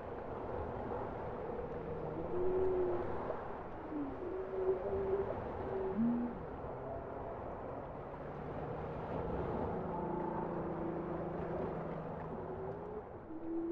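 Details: Soft bowhead whale song: a series of short, higher warbling tones, some rising, some wavering, over a long faint low hum. Calls come at irregular intervals amid steady underwater background noise.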